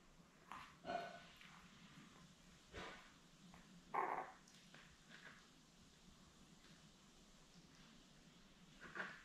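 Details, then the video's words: Seven newborn Labrador Retriever puppies, born May 24, 2021, with their mother Belle on a live puppy cam on June 4. Short squeaky whimpers break out near one, four and nine seconds over a steady low hiss. "Lab Puppies LIVE STREAM Puppy Cam"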